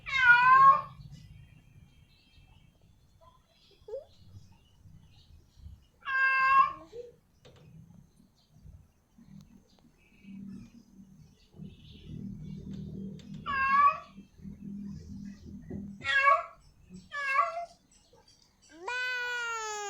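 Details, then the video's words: Female cat in heat calling a male, giving scattered short harmonic meows separated by long quiet gaps, with low background rumble and faint indoor noise between calls. "Suara Kucing Betina Memanggil Jantan, Suara Kucing Betina Birahi"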